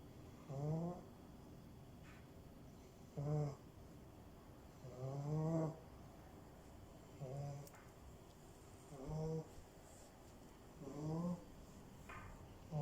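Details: A French bulldog puppy snoring in short, low, buzzy bursts roughly every two seconds, each breath carrying a rising nasal whistle, with quiet gaps between snores in an otherwise still room.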